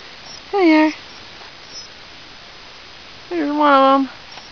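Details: Ten-week-old English Shepherd puppy on his first day at a new home, romping in snow along a fence with two older dogs; two drawn-out, slightly falling whines, the second longer and rising at its end.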